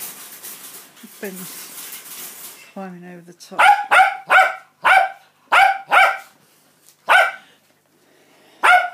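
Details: Cockapoo mother barking during feeding time for her litter of puppies on day 49, born 5 August 2016. Muffled rustling and a few soft whines first, then a run of seven loud, sharp barks spaced about half a second to a second apart.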